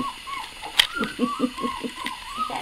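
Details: Puppies whimpering, a string of thin, high, arching whines rising and falling about every half second, with soft low murmuring voices and a brief sharp click underneath.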